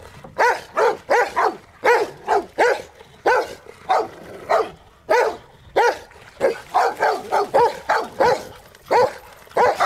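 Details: Rottweilers playing in water give rapid, sustained barking, about ninety barks a minute in irregular clusters, each bark sharp and harmonic-rich, with splashing noise underneath.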